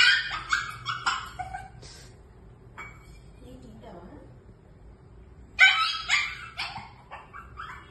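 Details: Shih Tzu puppies calling to their mother for food at feeding time, giving sharp, high yelps and short squeals in clusters separated by a quiet gap, with a final loud flurry of cries.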